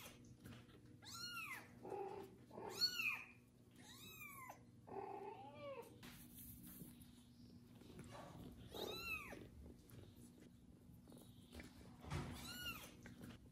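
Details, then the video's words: Loud meowing from a kitten named Kubik after his first bath while a foster mother cat licks him; six or so arched, piercing cries in irregular bursts, separated by quieter rustling and handling noise. "Foster mom cat takes care of loud meowing kitten after his first bath"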